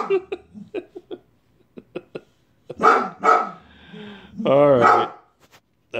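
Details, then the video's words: White female Boxer angrily barking at a gutter cleaner next door, wagging her tail. Soft ticking and a man's voice come first, then two gruff barks and a longer, wavering, whine-like bark near the end. "Angry White Boxer"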